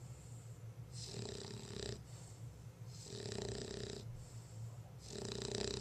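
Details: Female bulldog Lola, very sleepy, snoring with slow, even rasping breaths about every two seconds, three strong snores in all, each ending in a breathy hiss over a faint constant low hum.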